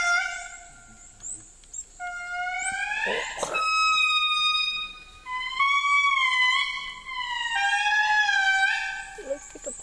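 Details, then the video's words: Endangered indri lemurs, found in the wild after hours of trekking, answer a guide's playback of their song with long, piercing wails that climb in pitch and hold steady, voices overlapping, with one sharp knock partway through. "The Indri Lemur Song"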